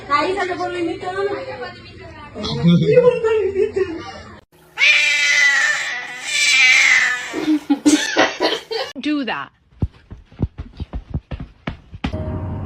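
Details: Kitten meowing indoors: long, high, wavering meows in the middle, then a run of sharp clicks and taps. People talk over the opening seconds.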